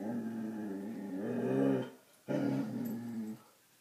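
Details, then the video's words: Low, throaty growling from Dixie the coonhound as she confronts her reflection in a mirror indoors, two long rumbling growls with a brief pause between them. "Dixie the coonhound: Barking at the mirror"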